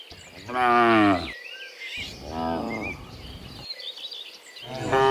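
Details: Dozens of cows heading home from the fields to their pen in the afternoon; a strong drawn-out moo, a softer second moo, then the start of a third, while birds twitter behind them.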